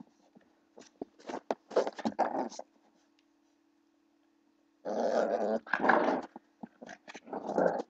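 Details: Blue pit bull puppy play-fighting with a person indoors: two bursts of rough, throaty growling and snarling, separated by a quiet pause of about two seconds, with a steady low hum underneath.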